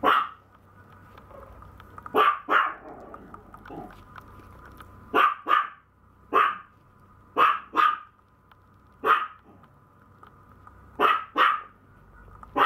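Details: Maltese puppy barking repeatedly, bursts often doubled, coming every second or so through the middle of the recording over a constant background hum.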